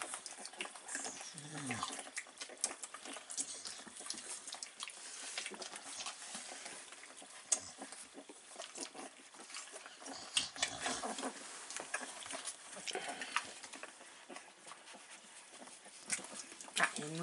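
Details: Staffordshire Bull Terrier puppies, three weeks old, from GooGoo's litter, filmed 9 April 2019: soft grunts and brief squeals scattered among busy rustling and clicking movement noise, with some human speech in the background.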